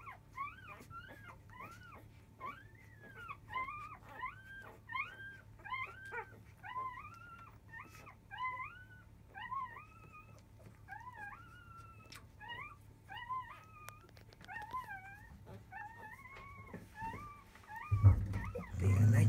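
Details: Field-type Labrador Retriever puppies at five days old fuss at the start of nursing with their mother biscuit in the early afternoon. Arched squeals repeat about once a second, then a loud rumbling bump ends the clip.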